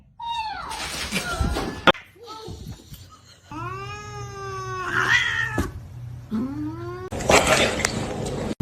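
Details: Pet cat at home giving a run of complaining meows, several long, rising-then-falling cries and shorter yowls with brief pauses between, while a person talks to it and rustling and bumps are heard.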